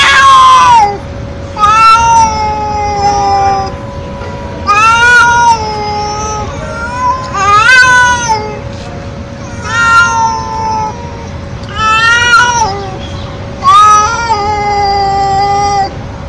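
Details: A stray feral cat gives loud, nonstop meows, about seven in a row, one roughly every two seconds, each a wavering wail that rises then falls, over a constant faint hum.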